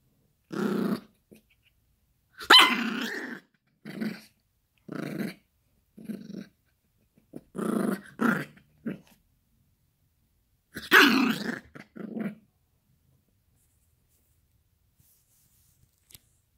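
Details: Yorkshire Terrier puppy Gracie, indoors, playing with a dog toy: short growling bursts mixed with sharp barks, about ten separate outbursts spread over the recording with quiet gaps between them.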